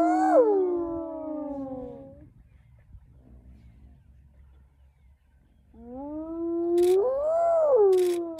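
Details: Spotted hyena clan harassing a young male lion on an early-morning safari in South Africa's northern Sabi Sands; a long descending wail, a quiet pause, then a wavering rise-and-fall moan with faint background rumble.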